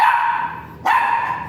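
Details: Dog at a Mapandan vet clinic, where a virgin dam and sire are brought for artificial insemination, letting out two steady, high, nasal whimpers, the second starting abruptly after a brief dip.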